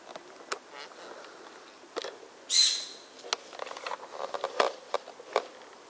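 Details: A Formosan serow hiding out of easy sight gives one sharp, hissing blast with a thin whistled edge, amid scattered clicks and rustles.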